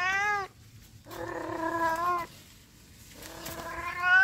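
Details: A cat that always meows when people are around produces three clear tonal meows, a short one, a steady sustained middle call, then a rising final meow, with quiet between them.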